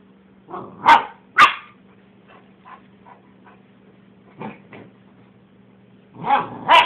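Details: Gordon setter barking while playing with a companion: sharp, loud barks in quick pairs near the start, softer scattered yips in the middle, then another close pair of loud barks at the end, over a steady low hum.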